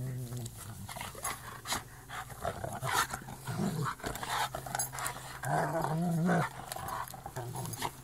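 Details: Two German Shepherds, one three and a half years old and a black-and-white one of one year six months, wrestle in the grass; low rumbling growls with harmonic bands, short yelping rises near three and six seconds, panting and scuffling throughout.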